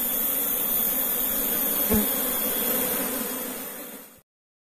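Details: Asian honey bees (Apis cerana) in a cultivation box after relocation, droning in a constant layered hum with a single soft thump midway. The sound fades out and ends in silence for the final half second.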